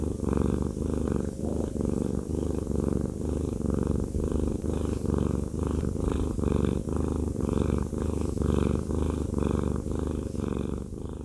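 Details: Fluffy male cat Haku purring while being massaged. A sustained low rumble beats in a steady breath rhythm near once a second, with no voices or background noise.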